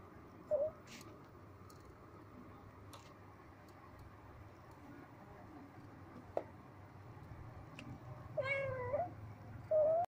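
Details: Blue-eyed kittens playing together indoors, giving a few short, high mews: a brief one early, a wavering longer mew later and another at the end, with soft scuffling and low room noise between.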